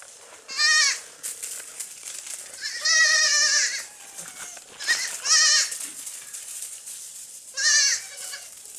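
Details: Young goats at play on a farm bleat repeatedly: four loud, nasal, quavering cries of under a second each, spaced irregularly, with softer rustling and movement noises in between.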